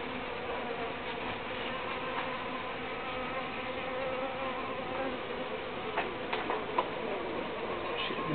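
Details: Uruçu bees humming in a low, constant drone with stacked tones, joined near the end by a few soft clicks and a sharp tap.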